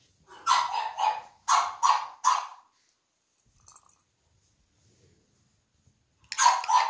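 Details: Three-month-old male French Bulldog puppy from a breeder in Millville, Massachusetts, barking indoors: a pair of short, rough barks, then a quick run of three, a quiet gap, and another burst of barks at the end.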